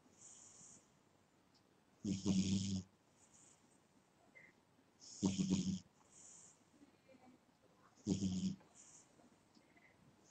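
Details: Domestic cat snoring in its sleep: three rough, low, buzzing snores with breathy hiss on top, arriving about every three seconds, with soft exhalations in between.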